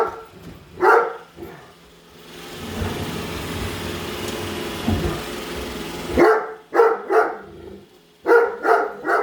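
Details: Padme, a pet Great Dane, follows a Roomba and barks at it; deep barks open the recording, then a long stretch of the robot vacuum's steady mechanical whir, then a burst of rapid barking resumes.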